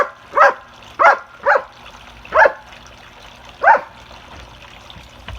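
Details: Dogs at play: five loud, sharp barks at irregular intervals over about five seconds, each a brief broadband burst, with quiet background between.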